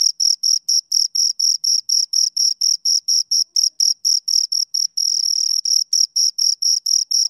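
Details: Shrill, high chirping from two crickets, about four pulses a second, briefly blurring into an unbroken trill near the middle before the separate pulses return; nothing else audible.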